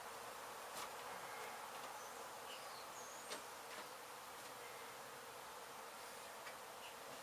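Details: Honey bee colony in an abandoned home being demolished in Mission, Texas, hive struck by construction crews: a steady, dense hiss-like buzz with no breaks, dotted with scattered faint clicks and ticks.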